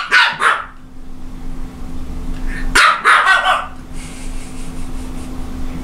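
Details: Japanese Chin dog barking: a short cluster of sharp, high barks, then a second burst about three seconds later, with a steady low hum underneath and quiet in between.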